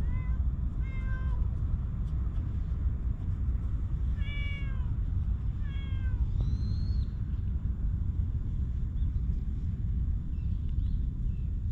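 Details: Stray cats in a park, a calico and a milk-tea-coloured cat, filmed on a GoPro HERO8: four short, clear meows with downward-curving harmonics in the first seven seconds, the last one higher. A steady low outdoor rumble runs throughout.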